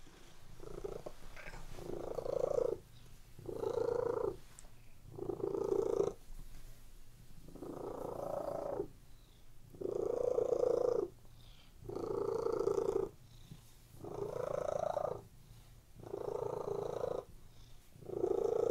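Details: Domestic cats lying on a bed purr steadily indoors, a low rumbling purr that swells and fades in roughly one-second bursts with short quiet gaps between breaths, about nine bursts in all.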